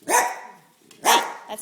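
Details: Dachshund barking: two sharp, loud barks about one second apart, each a short harmonic burst, with a quiet stretch between them.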